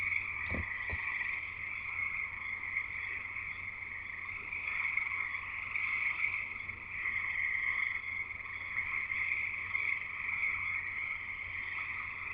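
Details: Frogs singing en masse in Escanaba, Michigan's Upper Peninsula, a ceaseless high trilling chorus; two dull thumps near the start, then an even wash of trills over a low hum.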